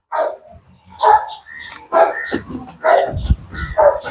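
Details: Leashed dog described as one that bites and tears, during a challenge to unleash it; five loud, harsh barks about one per second, with faint human voice and rustling between them.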